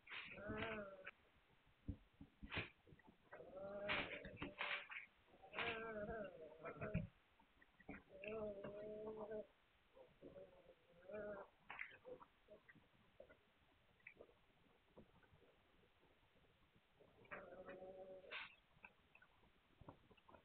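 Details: Litter of Hungarian Vizsla puppies on 9 March 2021 whining repeatedly in short nasal, bleat-like bursts over about twenty seconds, with scratching and handling sounds between cries.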